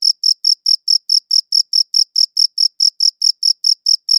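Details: Short burst of cricket chirping: bright, piercing pulses spaced evenly at about four a second, recorded clearly on a good audio recorder with a silent background.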